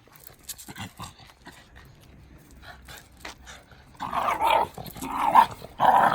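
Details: Two Shiba Inu, Riri and the red Shiba Haru, play-wrestling on 24 July 2019 as Haru charges into Riri. Quiet scuffling gives way to three loud, rough growling barks from about four seconds, with faint voices early on.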